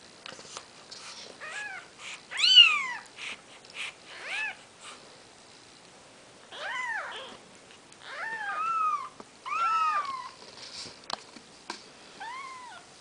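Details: Maine Coon kittens at four days of age, Nikita's brood, mewing irregularly in bursts of arched, rising-then-falling cries, some in quick pairs, separated by quiet gaps with small taps and rustles.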